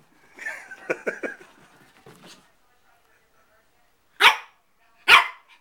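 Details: A person speaks for two seconds, then, after a pause, 4-month-old male Shih Tzu puppy Bailey lets out two loud, sharp barks about a second apart while playing with his mirror reflection.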